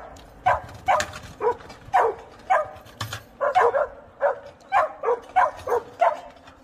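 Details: Jindo dog sisters, born in Naju on 28 October 2020 and living freely in Chuncheon, bark repeatedly in short, punchy yaps, sometimes doubled, at a lively pace of two or three per second.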